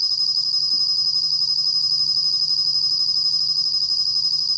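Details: Steady high-pitched ringing trill of a bell cricket, recorded in 2020 for the National Institute of Biological Resources; a faint lower note ticks about four times a second under the continuous shrill tone.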